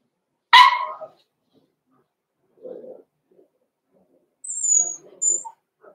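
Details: Six-week-old blenheim Cavalier King Charles Spaniel puppies, Roman and Blue, born November 14, 2022, in an indoor puppy pen; one sharp bark, then soft low yips and a few high squeaks.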